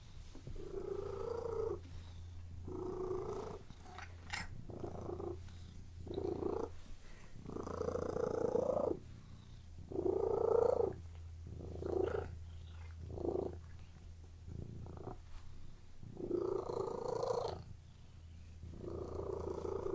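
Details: Domestic cat purring while lying on a bed, a steady low rumble swelling into brighter bursts roughly every one to two seconds as breaths alternate, with a few short gaps between phases.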